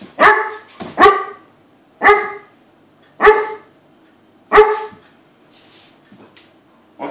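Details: A Weimaraner barks in short, sharp bursts, inviting a cat to play while the cat sits on the other side of a door.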